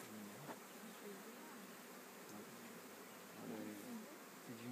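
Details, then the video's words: Swarming honey bees: a dense, steady hum with individual bees buzzing past as low, gliding drones that rise and fall, clearest near the start and again after three seconds. "Essaimage d abeilles"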